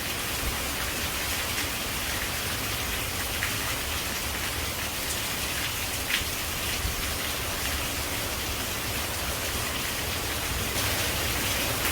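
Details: Steady rain patters on leaves in a dense, even hiss throughout, with no animal calls standing out.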